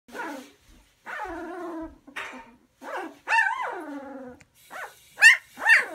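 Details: Puppy about one and a half weeks old, sitting in a basket with littermates during cleaning time; a series of drawn-out whines with falling pitch, then rising squeaky yelps, each lasting under a second, with short pauses between.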